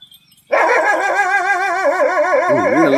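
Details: German Shepherd during a fight giving a loud, sustained, tonal cry that starts abruptly and holds steady for about two seconds, then wavers with a strong vibrato and dips lower near the end.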